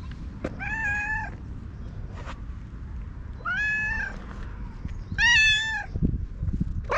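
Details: Orange tabby stray cat talking in cat language while rubbing against a person, then groomed with a cat brush, recorded on a GoPro HERO8: three clear, drawn-out harmonic meows, each rising then falling, spaced about two seconds apart over a steady low rumble and soft clicks.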